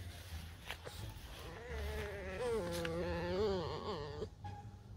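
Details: Pet fox, a tame red fox kept at home, complaining with a wavering nasal whine held for about two seconds, slightly rising and falling; low hum and handling noise around it.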